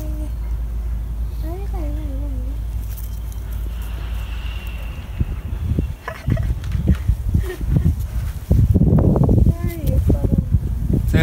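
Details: A cat greets a person it likes with a wavering, bending meow early on. Rustling, handling noises and human voices follow, with a brief higher meow near the end.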